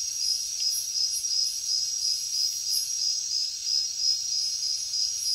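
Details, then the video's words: Crickets chirping at night in the jungle: a high, shrill pulsing trill beating about three times a second, somewhat uneven, with a faint hiss of other insects above. "Insects sounds | Cricket sounds |Jungle night"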